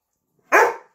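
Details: Rhodesian Ridgeback, one of two playing at home, Zola aged 2 years 9 months and Akiki aged 6 months: a single sharp bark, loud and abrupt, fading within half a second, otherwise silent.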